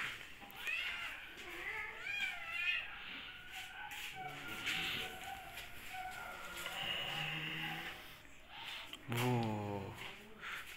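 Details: Hungry kittens meowing during lockdown: several thin, rising and falling mews early on, then softer calls, with people talking nearby and a deeper voiced sound near the end.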